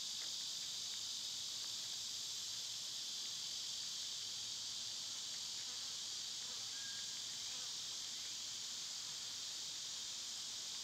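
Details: Continuous shrill buzzing of summer cicadas, recorded outdoors where birds and squirrels are filmed. The high whining drone holds even for the whole stretch, with only a faint, brief chirp rising once in the middle.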